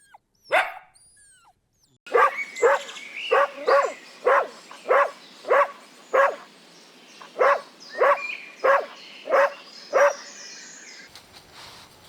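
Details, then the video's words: Puppies running and playing together on a green grass meadow: after a lone early yelp, a steady run of about fourteen sharp, evenly spaced barks comes roughly every half second and then stops, over a faint outdoor background. "Dog barking sounds"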